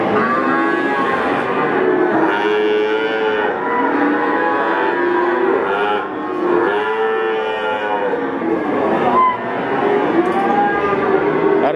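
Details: About four young Peranakan Ongole bulls, around six months old, at a livestock market in Ambarawa, Central Java, Indonesia; many overlapping drawn-out moos with rich harmonics rise and fall continuously amid a dense crowd of calling cattle.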